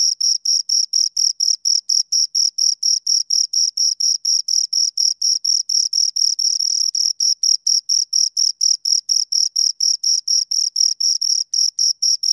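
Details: Two crickets producing continuous high-pitched chirps, regular short bursts repeated about every quarter second for over twelve seconds, pure insect sound with a quiet background.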